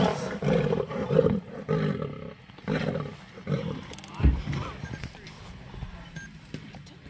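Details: Lionesses growling and roaring while fighting a male leopard up a tree in Sabi Sand Nature Reserve, South Africa; deep rumbling bursts in the first half, fading later, with brief human voices.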